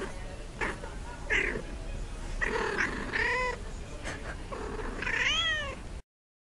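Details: Domestic cat in a funny compilation giving a series of short, rough meows, some rising then falling, roughly every second or two over a noisy background.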